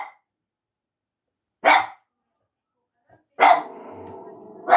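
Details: A dog, Shiba Inu or Yorkshire Terrier per the tags, barking at a person: two sharp barks a couple of seconds apart, the second leading into a sustained low growling rumble ending in another bark.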